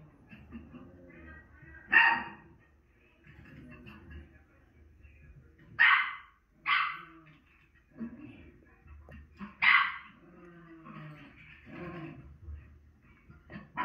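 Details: A Miniature Schnauzer bitch watches herself on TV and answers with a few separate, loud, high barks spaced a few seconds apart, over a steady background murmur.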